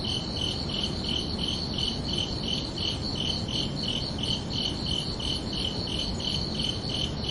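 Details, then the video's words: Night chorus of crickets on a summer evening, their bright chirps pulsing evenly about three times a second above a continuous low-pitched hiss and rumble. "Calming Cricket Sounds for Relaxation"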